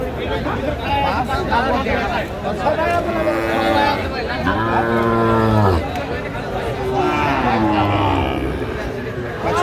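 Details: Sahiwal bull calf at a cattle market in Narsingdi, Bangladesh, on Saturday 19 January 2025, where Sahiwal calves are being sold: one long, low, drawn-out moo in the middle, lasting about a second, over steady chatter of buyers and background music.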